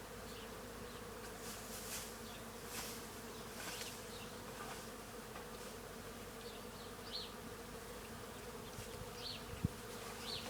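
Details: Many bees feeding on tree flowers at a farm: a dense, steady low hum with a constant drone band throughout, plus faint high chirps from distant birds and a sharp click near the end.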